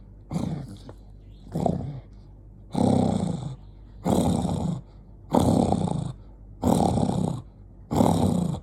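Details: Angry dog named Jonggi growling in repeated harsh bursts of about half a second to a second each, roughly one burst every 1.3 seconds, low and rough with noisy upper overtones, short quiet gaps between.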